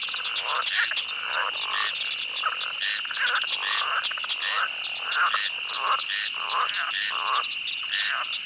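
A swamp chorus of frogs gives rapid, overlapping croaks above a steady, high insect drone.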